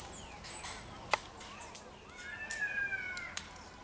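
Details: Marmosets recorded in Juiz de Fora, Minas Gerais, Brazil, giving a mix of high, thin whistles and sliding chirps, with a sharp click midway and a longer descending whistled note toward the end.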